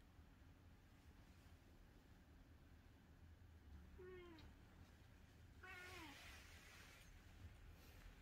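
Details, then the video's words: Calico cat named Angttu, visiting early in the morning and seemingly asking for something, gives two harmonic meows with falling tails, the second louder and followed by a rustling burst, over a steady low hum. "고양이 민원😾🥺(Cat talk Cat talk)"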